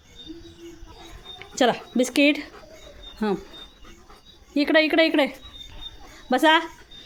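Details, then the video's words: Leo, a German Shepherd, barks loudly while playing and getting soaked in monsoon rain: short, harmonic, tonal barks arrive in clusters, two near the start and a longer run later, with a human voice close by. "Leo The German Shepherd पावसात भिजत भिजत भुंकतोय"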